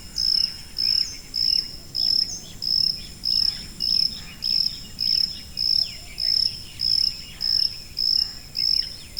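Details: Evenly spaced high cricket chirps come about every 0.6 seconds, each a brief pure ringing tone, with faint twittering bird notes scattered in the background.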